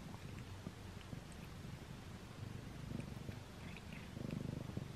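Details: Pet cat eating a string cat treat for the first time, indoors up close; a steady low purring rumble runs throughout, with scattered soft crunchy chewing clicks and small tearing noises above it.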